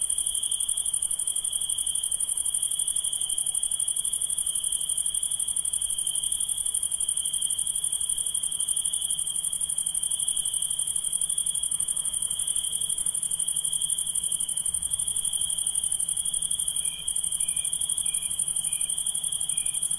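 A steady, high, ringing insect chorus hums on without a break through the night.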